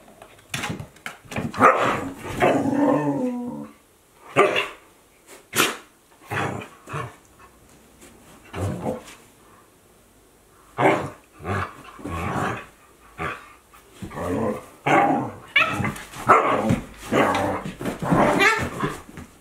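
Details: Akita Inu at play in 2023, a 14-month-old with a 2-month-old puppy: a steady run of short barks, growls and yips in rapid bursts, with a brief lull midway.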